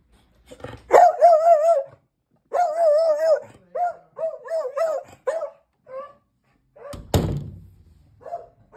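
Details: Beagle left alone indoors, giving wavering, quavering howls in bursts of about a second, separated by short gaps, followed by shorter yelping cries and a sharp thump partway through.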